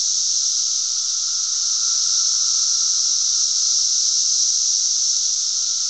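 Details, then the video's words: Loud cicada chorus from Glen Ellyn, Illinois, on June 10, 2007: a dense, continuous shrill hiss with no pauses, steady in volume, plus a faint lower tone running beneath it. "cicadas making a lotta noise."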